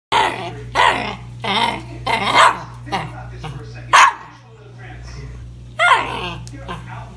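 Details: Two Cairn Terriers bark and whine in short, high, uneven bursts, some rising into yelps, as they beg for cookies. A steady low electrical hum runs underneath throughout.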